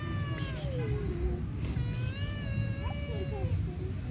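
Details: Kittens squabbling after feeding, one screaming almost without pause: long, drawn-out, wavering wails, each sliding slowly downward, one running into the next, over a constant low background rumble.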